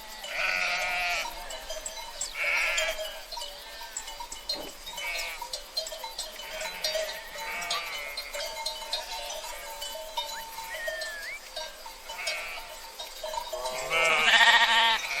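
A flock of sheep bleating, with wavering, nasal calls overlapping from many animals.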